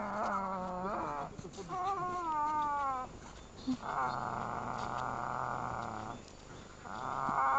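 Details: Boston Terrier puppy hanging onto a pillow, letting out rising and falling whines that turn into a long, rough, sustained grumbling moan, then another brief grumble at the end.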